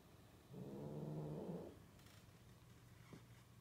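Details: Mating cat giving one low, throaty, harmonic-rich yowl of about a second, steady then fading, followed by faint room noise and a light click.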